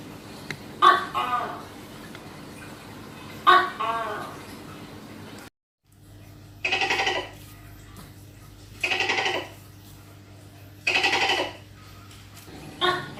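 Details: Tokay gecko recorded close up during a hunt: two sharp barking notes each trailing into a falling croak, then after a brief cut several rougher, broadband bursts repeated about every two seconds over a low hum.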